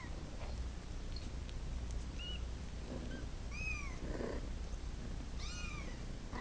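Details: A domestic cat that wants to go to its mama utters a series of high arching meows, a brief squeak, then two fuller plaintive cries about two seconds apart, over a steady low rumble and faint rustling.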